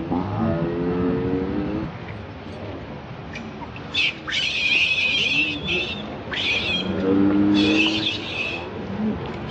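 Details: Baby monkey crying to beg for milk. Shrill, strained cries break in after a low murmur of background sound, sharp bursts clustered near the middle and again toward the end.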